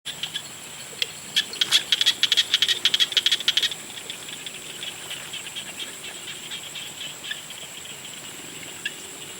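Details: Frogs calling at sunset: a dense burst of rapid, clicking pulses for the first four seconds, then scattered single clicks over a steady, high-pitched insect drone that runs throughout.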